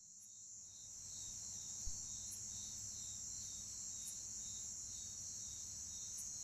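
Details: Two Bucrates katydids giving short, loud chirps: brief sharp clicks about every two seconds, set against a steady, high-pitched buzzing drone from many other orthoptera and a faint low rumble.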